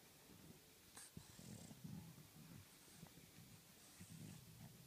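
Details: French Bulldog, tired out, snoring softly with low grumbling breaths and a few snorts, steady rhythm of rough inhalations over faint background hiss.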